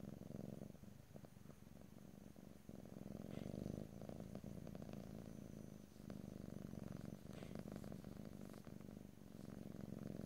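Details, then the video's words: Continuous purring from a pet cat, recorded ear to ear in stereo: a dense low rumble rising and falling in slow breath cycles, punctuated by small ticking rustles. "ASMR Cat: Purring"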